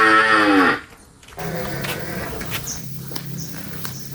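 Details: Cattle being released from a pen by livestock keepers: one loud, drawn-out moo that falls in pitch, followed by clattering and rustling noise.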